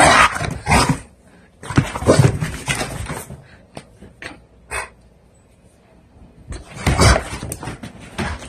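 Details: A one-year-old male blue pit bull weighing 90 lbs makes these sounds when he needs to defecate: harsh, noisy bursts in three main bouts, the first and second a second or more long, a shorter one near the end, with brief clicks between.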